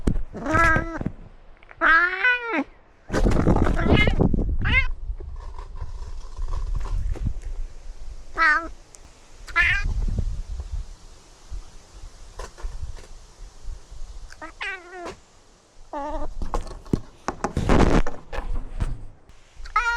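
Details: Outdoor domestic cat wearing a camera while touring a newly renovated catio and climbing trees; repeated wavering meows, some rising and falling, scattered through the recording between bursts of rustling, handling noise and a little speech.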